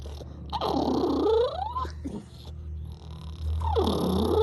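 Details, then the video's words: A small Chorkie dog in a pool tries to growl at a Shih Tzu and a Yorkie puppy. Two main rough, whiny growls dip and then rise in pitch, with a steady low hum throughout. "Small chorkie dog doesn’t know how to growl"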